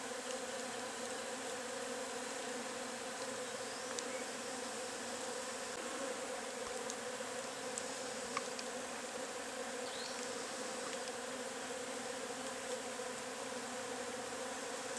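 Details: Agelaia multipicta wasps, known locally as cassununga, curumim or marimbondo carniceiro, at their nest: a steady, dense droning hum with a strong low band, unbroken throughout, with faint scattered ticks above.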